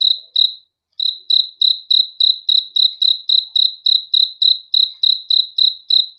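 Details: Cricket heard at night: two chirps, a short silence, then a steady train of shrill, evenly spaced chirps at about three and a half per second against quiet.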